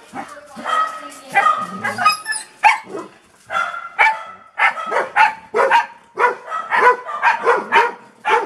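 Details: A Golden Retriever gives a run of deep, hoarse barks, with a voice speaking briefly at the start.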